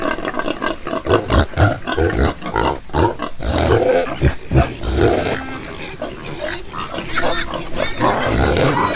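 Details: Several pigs in a pig-rearing setting give deep, throaty grunts and rougher roaring snorts in irregular bursts, loud low pulses crowding together with brief pauses between.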